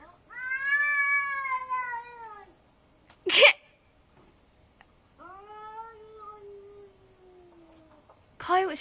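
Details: Cat crying at night, heard nightly: two long, drawn-out meowing wails, each about two seconds, slowly falling in pitch, separated by sharp knocking sounds in a quiet outdoor setting.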